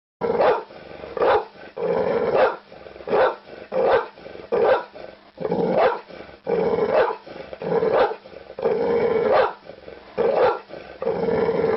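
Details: Dog giving a long run of harsh, rough barks, each about half a second long, repeated roughly once a second with short gaps, sounding somewhat muffled and growly.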